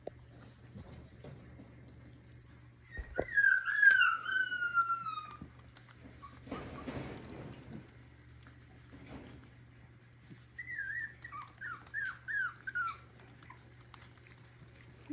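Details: Six-week-old Miniature Schnauzer puppies from the Joy/Kaiser litter, bred in Mission, British Columbia, playing with their mother indoors. Two brief bursts of high, falling whines, the second a run of four short descending whimpers, with quiet gaps between and a low steady hum.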